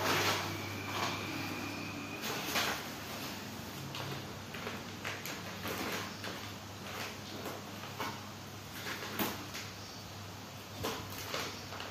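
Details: Indoor clatter of drawers and doors being opened and shut, with knocks, a low steady hum and faint background voices in a small room.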